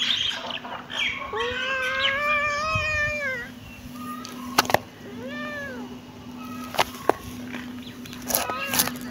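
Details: Kitten meowing: a long, wavering meow that rises and slowly falls, then two shorter arched mews, with sharp clicks and taps and a low constant hum.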